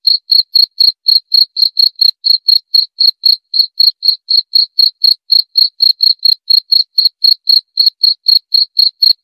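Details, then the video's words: Unbroken cricket chirping: bright, high pulses repeated about four times a second through the whole stretch, on a clean, quiet background. Meant for relaxation at bedtime and for keeping rats away. "Suara Jangkrik"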